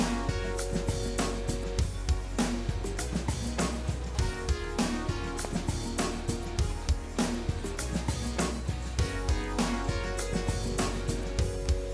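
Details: Upbeat pop music with guitar and drum kit, driven by a regular beat, with no animal voice audible.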